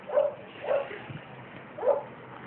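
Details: Whining from a 1.5-year-old Basset Hound in Santiago, a playful, affectionate dog being given away: three short nasal whimpers, evenly pitched, spread over about two seconds with quiet room noise between.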